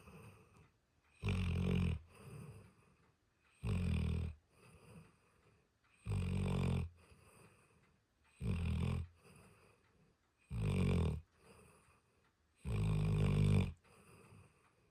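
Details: Asleep, the dog Diesel produces a steady run of six heavy, low snores spaced about every two and a half seconds, each followed by a quieter breathy exhale.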